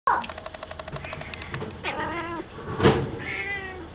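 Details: Singapura kitten, young and growing, peeking out of its nursing bed; a few short, high, wavering meows mixed with human speech, a sharp knock near the third second and rhythmic ticking early on.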